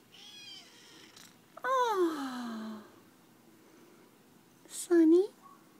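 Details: Sonny, a young rescue Lynx point kitten, snuggling and headbutting indoors: a drawn-out falling meow, then a shorter rising meow near the end, with a woman talking softly in between.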